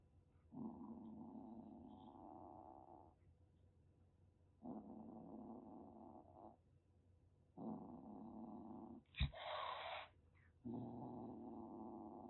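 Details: Calico kitten of about one and a half months, rescued in Kagoshima, Japan, in a sudden threatening rush: long drawn-out growls repeat with pauses, broken once by an abrupt spitting hiss before a final growl.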